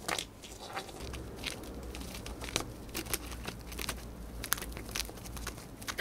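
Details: A female pet hamster eating dried corn, finishing it fast: a steady stream of crisp crunches and crackles, louder snaps at intervals, recorded up close in a quiet room with a low hum.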